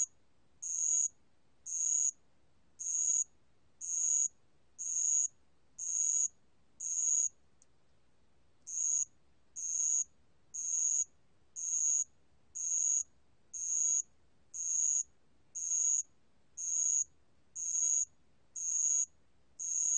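A bell cricket gives high, ringing chirps, about one each second, in a steady series.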